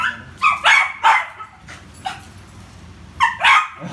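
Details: Poodle at play with a ball, yapping in short high barks, several close together, then a pause and another pair near the end.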